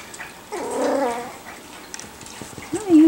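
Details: Five-week-old puppies playing and learning to interact together. A wavering whine lasts about half a second, followed by scuffling and a second short, rising yelp at the end.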